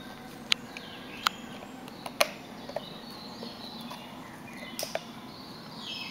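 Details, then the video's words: Spotted hyenas at Tierpark Berlin cracking bones while feeding: sharp, loud cracks at irregular intervals, about five in six seconds, two close together near the end, over a steady low hum with faint bird twitters. "Tüpfelhyänen beim Knochen Knacken"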